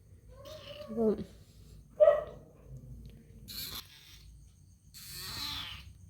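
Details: Young male kitten, found that morning near a junction and tied up before going to a new home for adoption, crying: two short wavering meows about a second apart, then rustling and handling noises.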